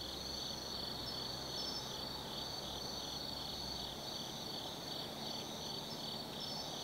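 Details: Insects of the autumn forest at Tsukimi no Mori, Kaizu, Gifu, singing at night: shimmering high continuous trill plus faster pulsing chirps above it, a low hum fading partway through.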